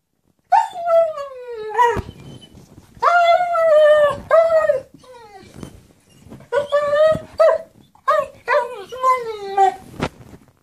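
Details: German Shepherd dog indoors, begging for his toy: long high whines that slide downward, in drawn-out bouts of one to two seconds separated by short pauses.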